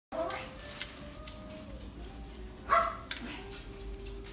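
A Yorkshire Terrier gives two short, high-pitched barks, the second coming a few seconds after the first.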